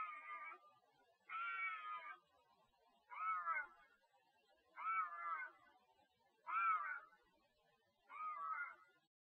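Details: Bobcat calling for a mate with loud, harsh screams: six drawn-out, wavering, yowling cries, each about half a second to a second long, spaced roughly every one and a half seconds, against a quiet background.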